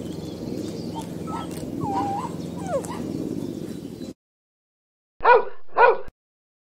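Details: A dog's high, wavering whines over a steady noisy background for about four seconds, then a short silence, then two sharp, loud barks about half a second apart.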